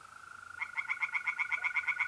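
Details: [0, 0]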